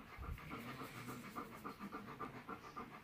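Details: Heavy panting from Tala, a female Alaskan Malamute about to give birth to her puppies that day and restless to go outside; fast, even breaths roughly three and a half per second, soft and breathy, indoors.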